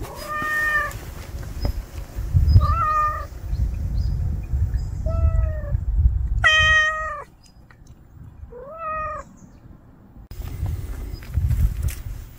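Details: Stray cat, hungry, meowing repeatedly in short, rising-then-falling cries every second or two, over a low rumbling background of traffic or wind.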